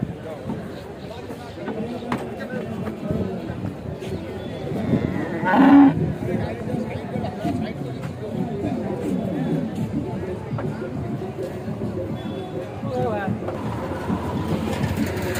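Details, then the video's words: Cattle being unloaded from a truck in Bangladesh give a low, drawn-out lowing moo amid constant crowd chatter, men's voices and market bustle. "unloading from truck cow videos, cow unloading, goru hamba cow"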